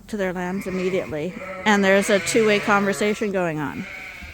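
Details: Suffolk lambs at Ewetopia Farms, mixed into one big group in the barn after a gate was left open, bleat in a dense overlapping chorus of wavering, harmonic cries that come one after another for about four seconds.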